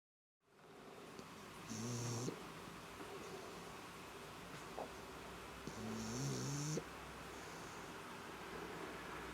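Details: Black pug snoring; two slow, rasping snore breaths about four seconds apart, each a low buzzy rumble of around half a second to a second, with a faint airy hiss, over a quiet room background.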